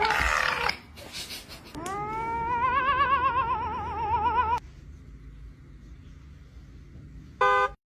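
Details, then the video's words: Cat giving a long, wavering yowl that lasts about three seconds, with its pitch trembling up and down. Brief noisy sounds come before it, and it ends with a short, sharp meow. "Funny cat sounds"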